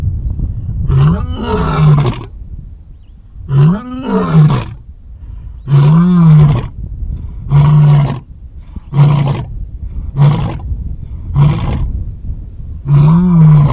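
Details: Zoo lions roar in bouts of deep, throaty calls, long opening roars giving way to shorter grunts.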